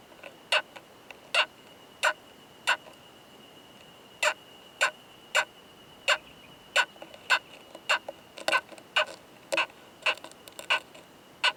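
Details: Male Oomadarakokunusuto beetle (Temnoscheila japonica) mating with a female, found in a high-mountain pine forest, producing loud "kan kan kan" sounds: sharp broadband clicks, irregularly spaced about every half second to second, over a faint steady tone.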